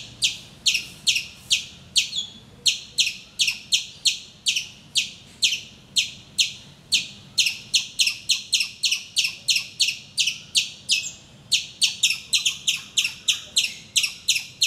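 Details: Squirrel in a mango tree in Calicut, Kerala, India, calling loudly at morning, as it does daily; a long run of piercing high chip notes that quickens to about three per second toward the end.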